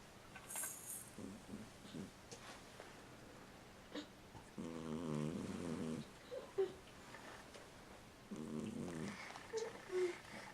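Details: Sleeping domestic cat snoring indoors: two long, droning, buzzy snores of about one to one and a half seconds each, low and rough, with softer breathing snuffles and small clicks in between in a quiet small room.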